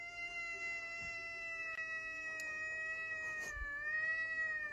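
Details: Cat holding one long, steady, drawn-out yowl for nearly five seconds, barely changing pitch, with a few faint clicks and knocks behind it.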